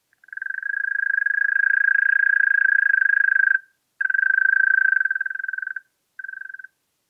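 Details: Churring song of a European mole cricket in Pabing, Austria, 31 May 2021: a trill rising quickly to full strength for about three seconds, a brief pause, a two-second bout, then a short final burst.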